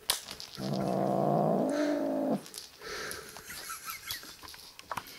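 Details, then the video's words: Griff, a kitten described as very possessive, gives a loud harsh yowling growl lasting nearly two seconds, then quieter rustling and faint shuffling in a small room. "Posessive Kitten called Griff"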